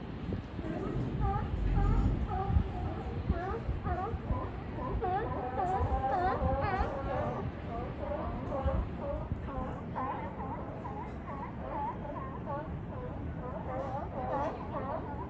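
Many sea lions call at once, their bleating, slightly wavering cries overlapping in a busy chorus. A constant low roar of surf or wind runs underneath throughout.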